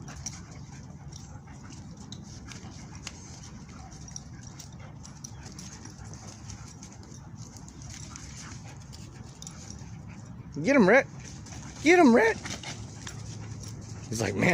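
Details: Dogs Cali, Turbo and Rhett playing together at the Bark Park, a dog park. A long stretch of steady outdoor background hiss gives way to two short, wavering, whine-like yelps about a second apart, with people calling out nearby.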